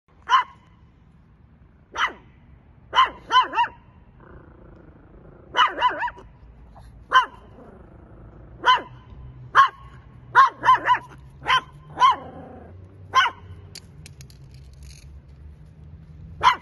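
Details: Long-haired Chihuahua puppy, six months old: sharp, high yaps given singly and in quick pairs or triplets, about fifteen over sixteen seconds, with a low rumbling growl between some of them in a quiet room.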